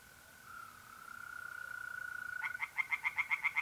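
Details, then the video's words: Steady mole cricket trill by night in north-east Italy in April, then a tree frog in the pond begins a quick series of sharp pulsed croaks near the end. "relaxing singing tree frogs in pond and trilling mole crickets by night"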